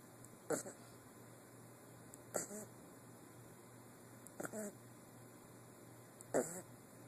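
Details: Guinness, an 8-week-old puppy, snoring: four short noisy breath bursts about two seconds apart, some with faint squeaky tonal traces, over a steady low hum.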